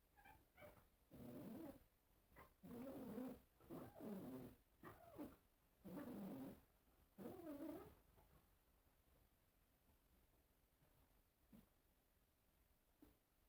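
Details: Cats reacting at a mirror; a series of short, low, murmuring meows and chirrups repeated about once per second over eight seconds, then near silence with a couple of faint clicks.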